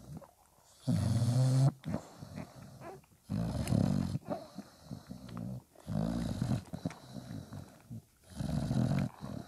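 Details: Dog puppies at five days old, their mother Spikkels nursing them; four low, throaty grunting bursts, each under a second, spaced irregularly, linked by quieter snuffling and breathing indoors.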